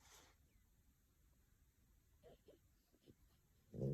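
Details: Napping female French Bulldog named Pico, at home in Tokyo, twitching her paws and moving her eyes in sleep: a few short, soft snorts in quick succession, then a sudden louder raspy snore breaking in at the end.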